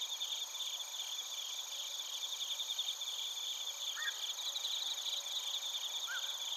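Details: Crickets and bell crickets chorusing in Narita, Chiba Prefecture, Japan, taken on a TASCAM Portacapture X8: steady, overlapping high-pitched ringing trills, with two brief faint lower chirps from another caller cutting through near the end.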